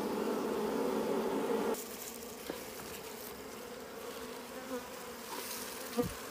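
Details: Wild bees at a hidden nest of wild honey: a loud, steady low buzz for almost two seconds, then fainter humming with scattered clicks and rustling.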